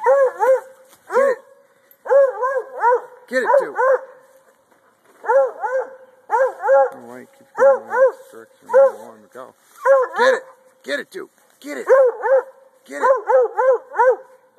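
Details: A male Treeing Walker Coonhound treeing and jumping at a tree while being urged on gives loud, ringing barks in quick bursts of two to four.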